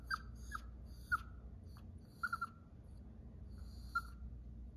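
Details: Female Chihuahua crying at home as her owner leaves for the day: short, high, squeaky chirping whimpers, about five spread over five seconds, each one brief and sharp, with a low household hum beneath.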